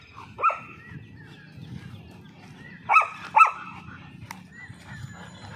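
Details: German Shepherd, Labrador and Rottweiler puppies fighting give sharp, high yelps over a low, rough rumble of growling.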